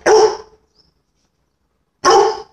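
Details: Labrador Retriever during sniffing training with a dog trainer: two loud, harsh barks about two seconds apart, each short and full-bodied, with silence between and no other clear sounds.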